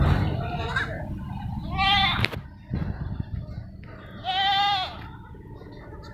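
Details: Goats on a farm keeping Barbari and Sirohi breeds, with two drawn-out, wavering bleats with stacked harmonics, each about half a second to a second long, separated by shuffling, clicks and background farm noise.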